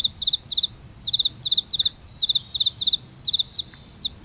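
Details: Short pulsed chirps from a cricket by an aloe vera bloom, delivered in paired and triple bursts at an uneven pace of about four per second, with a faint higher insect ticking behind.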